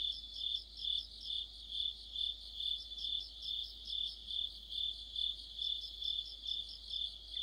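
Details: Crickets and other insects in autumn: a piercing, sustained high trill with a steady throb of swells around twice a second and faint higher chirps, nothing else audible.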